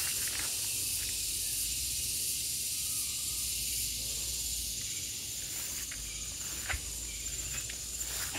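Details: Gareng pung cicada calling: a loud, dense, continuous high-pitched buzzing drone that holds steady throughout, with faint clicks and rustles in the background.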